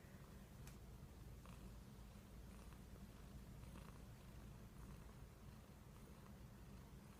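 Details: Somali x Norwegian Forest Cat mix, round and fat, moving from purring into snoring; an even, low, unbroken rumble fills the clip, with occasional faint clicks.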